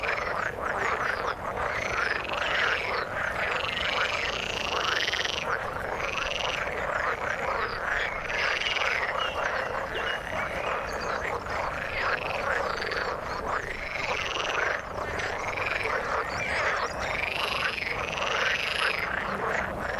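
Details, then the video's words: A frog chorus in the water: repeated rising pulsed croaks from many callers overlap continuously, with louder bursts roughly every second or two. "Frog sound in the water"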